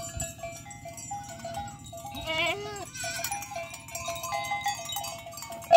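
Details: Big goat described as angry gives one long, wavering, quavering bleat midway through, its pitch shaking up and down, over a steady backdrop of ringing bell-like tones and low rumbling.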